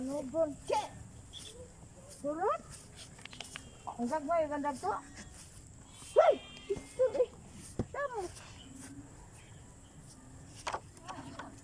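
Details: Frogs calling during floods, their voices compared to racing sports cars: short, harmonic, revving calls that sweep up and down, given in bursts spaced a second or two apart, with a steady high hiss behind.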